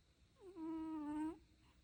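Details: A dog snores with one smooth, whistling, hum-like tone held nearly a second, rising briefly at the start and end.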